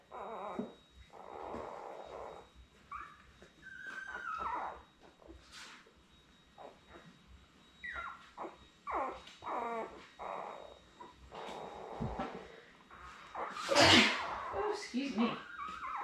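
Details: Newborn Labrador Retriever puppies, born in late May, in a whelping pool indoors with their nursing mother; thin high squeaks, whines and short yelps scattered through, with rustling bedding and a louder squeal near the end.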